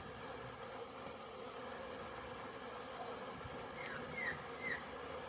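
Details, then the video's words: Busy honey bee hive on 22 September 2022, with swarms of bees on orientation flights inside and outside; an even low buzzing drone throughout, plus two brief higher chirps near the end. "Orientation flights busy Bees"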